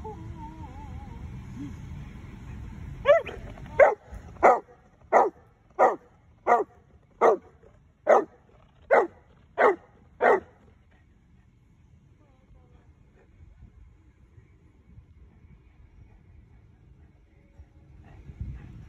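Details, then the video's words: Excited big female Boerboel, thrilled that her mum is behind, barks ten times in a steady run, roughly one sharp bark every three quarters of a second, over low background rumble. "Big Boerboel is excited Mumma is behind us"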